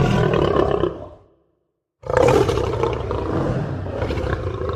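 A lion gives deep, rumbling roars, broken by a brief silence before a second burst.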